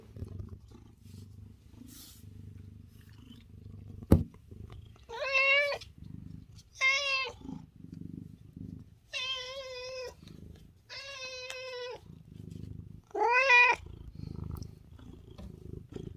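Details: A house cat, from a home with six affectionate, dog-like pet cats, gives five clear, drawn-out meows about two seconds apart, some wavering, with a soft low rumble and a sharp knock between them.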